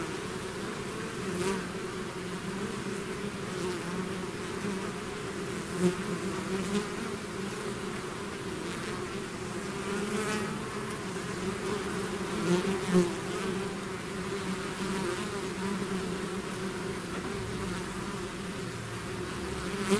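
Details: Constant droning of a bee swarm leaving its hive, two stacked humming bands steady throughout, punctuated by a few sharp passing buzzes of individual bees flying close.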